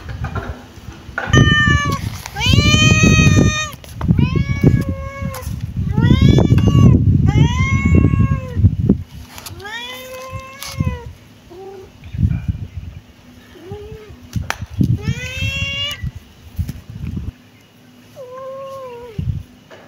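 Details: Kitten meowing over and over, a run of loud, harmonically rich mews that rise then fall, several in quick succession and then spaced-out softer ones, with low thumping and handling noise underneath.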